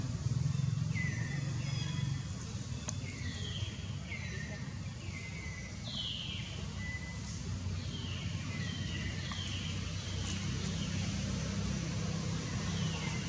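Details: Hungry baby long-tailed macaque named Jinx gives short, extreme cries, its mother Jade's milk dried up. Thin wavering wails rise and fall in quick succession, several per couple of seconds, above a constant low engine-like drone.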